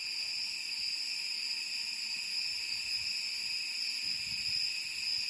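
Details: Summer cicadas in the mountain city of Da Lat, Central Highlands of Vietnam, keep up a continuous shrill, even drone of several stacked high tones, with faint low thumps now and then.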